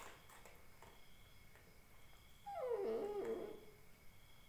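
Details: Indian Spitz puppy crying indoors: after two quiet seconds, a single wavering, descending whine of about one second, slightly rough, then silence.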